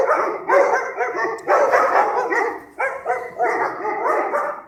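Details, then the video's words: Stray dogs in a pack at night in Sarajevo, archival recording: continuous chorus of many dogs barking over one another, loud clustered barks in waves roughly every second with brief dips between. "Noćni čopor: Lavež pasa lutalica"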